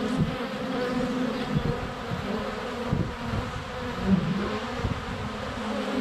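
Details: Swarm of honey bees flying around a hive entrance on a sunny February day, recorded under a foot away on a GoPro Hero 7 Black: continuous droning buzz with pulsing low swells as individual bees zip past.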